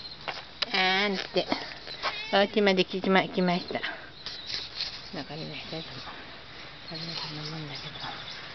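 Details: Cat called Mike, returned after a long time, begging its caretaker to stay rather than go out: a burst of rapid, overlapping wavering meows, then softer, more spaced mews trailing off.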